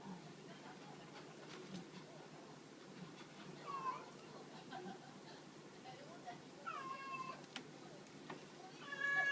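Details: Two female cats at Hananoki shelter, Chris an American Shorthair and Hachimaru a black-and-white tuxedo, playing with a cat teaser toy; a few short, quiet meows rise and fall mid-clip and near the end over soft rustling indoors.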